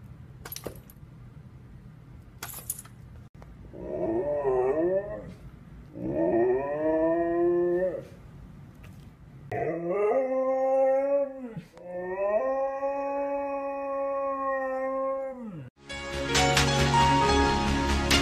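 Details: Siberian Husky in a humorous compilation howling at length: wavering, whining howls rising and falling, then long sustained tonal howls, with a burst of music and noise at the end.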